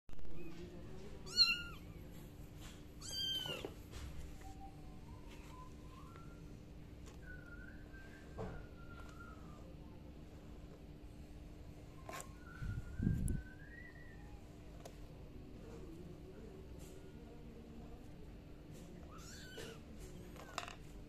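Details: Kitten giving repeated high, thin meows, some rising and some wavering, spread across about twenty seconds, quieter cries in between, with a steady low hum and a brief low thump.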